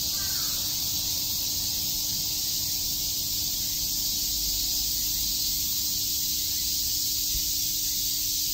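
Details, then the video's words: Unbroken high buzzing of cicadas in Tokyo's Shakujii Park on a summer day, with one brief crow call at the start. "Cicada chirps"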